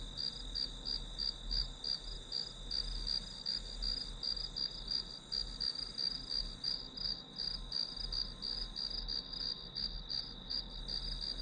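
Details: Grass insects chirping as study background noise: steady high, shrill pulses repeated about three times a second over a continuous ringing tone, with a soft low hum underneath.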